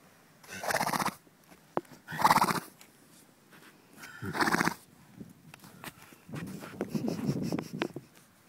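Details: A horse wanting a scratch makes broad, breathy snoring snorts lasting about half a second, three in the first five seconds, then a rougher rumbling stretch, with faint knocks between.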